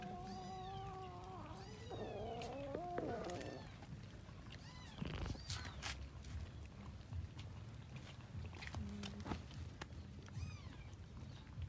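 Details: Cats eating rice with fish; a drawn-out, wavering meow with a harmonic quality fills the first few seconds, followed by sharp clicks, chewing noises and a steady faint high hum in the background.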